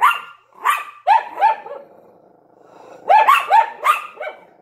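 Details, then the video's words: ['Yorkshire Terrier and Lhasa Apso barking through a window: a few high, snappy barks, a low rumbling growl-like lull, then a rapid cluster of four yaps near the end.'] "Yorkshire Terrier and Lhasa Apso Barking in the Window"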